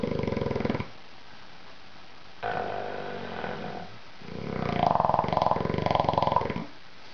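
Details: Asleep, Little Mondo the bulldog gives three loud buzzy snores separated by silent pauses, the last one longest and strongly vibrating, in a small indoor room.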